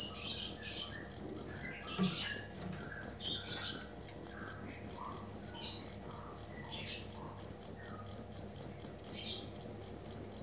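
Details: Cricket, an original recording offered as training material for songbirds, chirping in a steady high-pitched pulsed trill, several sharp pulses each second, with faint scattered chirps from other creatures underneath.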